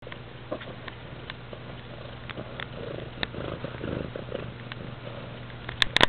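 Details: Domestic cat purring loudly indoors, a steady low rumbling drone with soft pulses throughout, a few faint clicks, and a sharp handling noise near the end.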